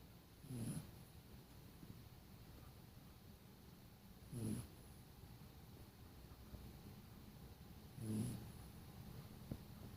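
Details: Sleeping dog snoring; three low, rumbling snorts, each under half a second, come roughly every three and a half seconds over a quiet, faintly hissing room.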